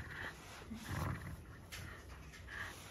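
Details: A young male Shiba Inu, born January 2019, gives a low, rumbling sound somewhere between a howl and a growl, a sound he has often made lately while showing off.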